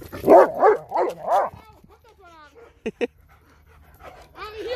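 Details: A dog with a Dobermann and a Boxer, eager to play with a ball, gives four quick barks in a row. Two short clipped yelps follow, and a man gives German commands.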